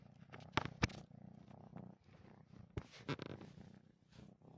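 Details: Sleeping kitten snoring while its paws twitch; soft low rasping breaths in short rapid pulses, broken by a few sharp clicks and rustles close by indoors.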